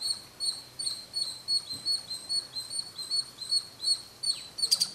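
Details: Small squirrel calling from a roof corner at Kolar Gold Fields near Bangalore, where it climbs to chirp every day at noon; sharp high chirps repeat about two to three times a second in a steady run, ending in a louder burst.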